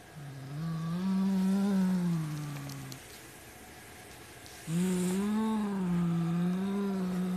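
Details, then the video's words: Low, wavering roar-like growl from a white Siamese tomcat refusing to share his black toy rat, two long drawn tones, each around three seconds, separated by a short quiet gap. "Cat doesn't want to share his prey."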